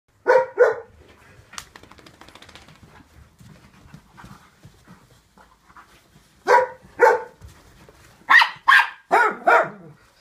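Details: Dog barking indoors in winter 2014: a quick double bark, a quiet stretch with faint rustling, then a burst of five sharp, loud barks in uneven succession.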